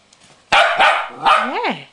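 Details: A West Highland White Terrier playing with his cuddly toy whale gives two sharp barks, then a short yelping bark that slides into a rising and falling whine.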